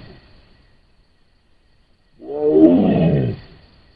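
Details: Wild Sumatran tiger caught on a camera trap in Sumatra: after a quiet start, a single deep, harmonic roar of about one second that falls slightly in pitch as it ends.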